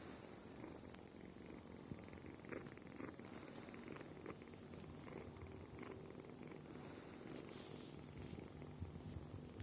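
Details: A red female kitten purring softly while trying everything with her sharp teeth; a steady, quiet low rumble continues unbroken throughout, with faint rustling.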